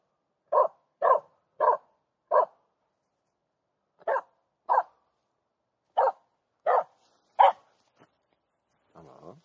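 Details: Finnish Spitz barking at a hidden squirrel in a forest in mid August, hunting instinct; rapid runs of three to four sharp barks, a pause, then more barks in quick groups, ending with a low whine.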